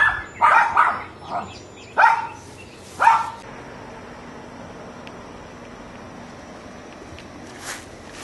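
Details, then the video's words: Neighbour's dogs barking: a quick burst of five loud, sharp barks within about three seconds, followed by quiet background hiss and one faint distant yap near the end. "Dogs Barking"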